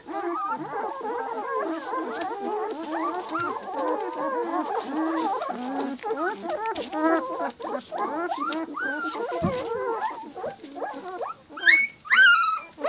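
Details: Giant Schnauzer puppies aged two weeks whimper and squeal together in a continuous, busy chorus of wavering cries, ending with a few louder, thin, high-pitched yelps.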